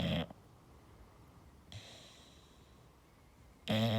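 An English bulldog snores with loud, rasping breaths, separated by long quiet pauses.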